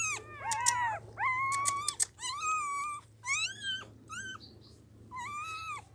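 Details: Tiny puppies whose eyes have not yet opened give repeated high whimpers, arched whines about once a second, some broken by brief rustling, in a small indoor space with a low hum.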